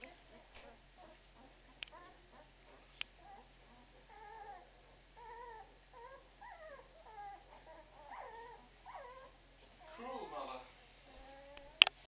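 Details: Twelve-day-old Irish Red and White Setter puppies whimpering in a run of short, squeaky, rising-and-falling whines that come in clusters and grow busier toward the end, with a few sharp clicks and bumps between them.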